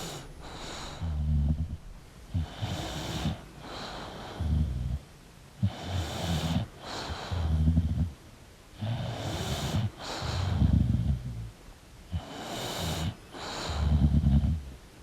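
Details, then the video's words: Snoring English bulldog while sleeping, with wheezy, snorting breaths: raspy low snores with airy hiss, coming in a steady rhythm about every two seconds. "English Bulldog Sleeping & Snoring Sound"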